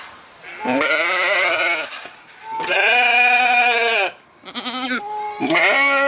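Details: Sheep bleating in three loud, drawn-out cries of about a second each, rich in harmonics with a slight wavering quaver, separated by short pauses.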